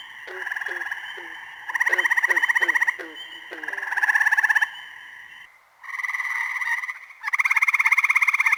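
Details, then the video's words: Spring frog from Ottawa County, Michigan giving long buzzy pulsed trills of about a second each, with separate short clicking notes early on and a brief pause midway. "Frog Calls of Ottawa County, Michigan"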